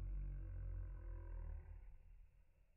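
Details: Lhasa Apso. A Lhasa Apso howls, the sound slowed so it becomes a low, sustained moan with steady layered tones. After about a second and a half it weakens and breaks up into rough, fading murmurs.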